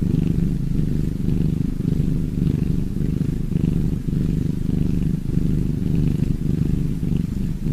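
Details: Low rattling purr from a cat, steady and rhythmic, the rumble gently pulsing in breath-like waves across the whole stretch.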